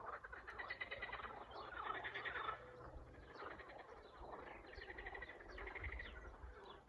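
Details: Frogs chorusing in spring, a thick mass of overlapping croaking trills that swells and fades, with a few sharper chirping notes breaking through the steady rattle.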